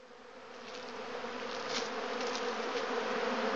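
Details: Honey bees in a bee yard swarm empty honey boxes set out after extraction, robbing the leftover honey back to their hives; a dense, steady hum of many bees in flight swells louder over a few seconds.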